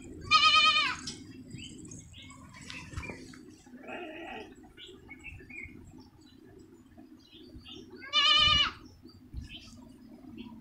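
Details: Beetal goat kids on a farm in Bilaspur, Himachal Pradesh, India: two loud, quavering, harmonic bleats, one near the start and one after eight seconds, with a low steady hum and faint rustling between them.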